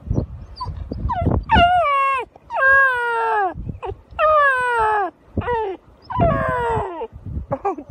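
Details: Newfoundland puppy named Teddy, unhappy he could not find his sister Daphne and wanting his lunch, gives drawn-out tonal howls that start high and slide downward, about five long wails with short yelps and whimpers between, a person speaking softly nearby.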